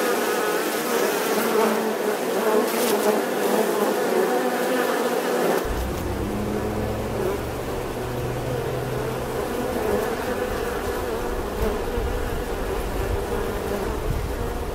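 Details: Bee buzzing as a steady drone; partway through, a deeper low rumble joins beneath the hum and continues to the end.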